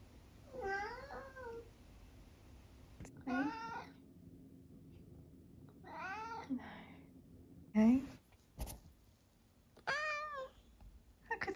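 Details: Eric, a long-haired tabby cat from the UK nearly 12 years old, gives a series of harmonic meows and squeaky mrrps, about five calls spaced roughly two seconds apart, some rising then falling, indoors in a quiet room.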